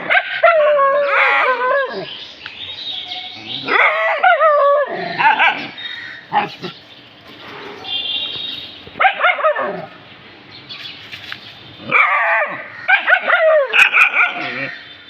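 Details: Dogs reacting to something they have found, giving repeated high, wavering whines and yelps in uneven bursts every few seconds, with human voices in between.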